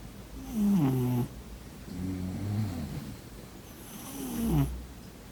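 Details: Cat snoring while asleep: a strong, low, rattling snore, then a softer wavering rumble and a last throaty snore ending in an airy puff, all over quiet indoor background.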